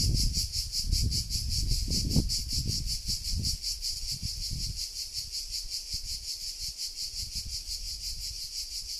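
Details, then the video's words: Cicadas in Sardinia at 13:00 in July 2020: a high, pulsing buzz keeps going throughout, partly masked by loud low rustling and rumbling noise in the first half. "Sardegna - estate 2020 - Cicale"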